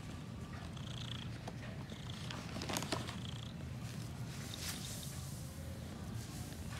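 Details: Female cat purring contentedly while having her ears cleaned during grooming, dozing off. A steady, low, pulsing rumble runs throughout, overlaid by scratchy, rustling cleaning noises and brief higher clicks.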